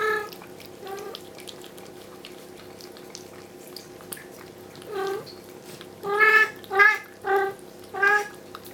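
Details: Bella, a Bengal mother cat, insists her kittens be returned to the carpeted bedroom; faint meows at first, then a burst of four loud, short, clipped meows in quick succession near the end, with low indoor hum beneath.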